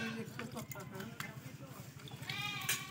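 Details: Buck goat under castration gives nasal, quavering bleats, the loudest rising near the end, over almost continuous men's talk and a background hum.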